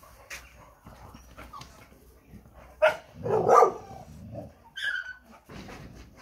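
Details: American Staffordshire Terrier at a show, giving a few short barks and yelps spread over several seconds, with one louder burst in the middle, against quiet indoor background noise.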